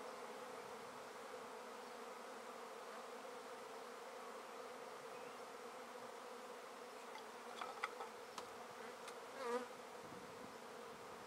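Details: Honey bees in a swarm taken from a tree into a basket, a continuous even buzzing drone, with a few faint clicks and a short handling noise toward the end.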